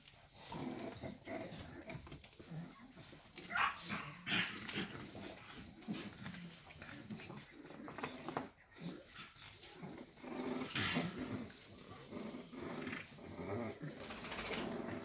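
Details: Six-week-old Staffordshire Bull Terrier puppies of Staffordland's 54th litter, sired by Rider Red de la Crique du Flojule out of Rubis de Staffordland, recorded 11 December 2023: scattered whimpers, yips and scuffling noises over fifteen seconds, with faint voices.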